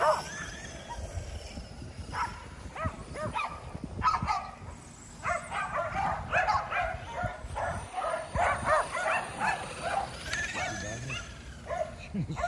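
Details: Five Kerry Blue Terriers exercised at home by chasing an E Revo remote-control car, giving excited yips and barks in dense overlapping bursts, with scuffling, engine whine and some human voice in the background.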